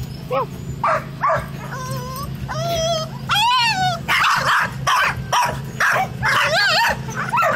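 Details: Dogs barking at a black cat: high whining yelps and wavering howl-like cries rising into rapid, harsh, repeated barks, several overlapping, over a steady low hum.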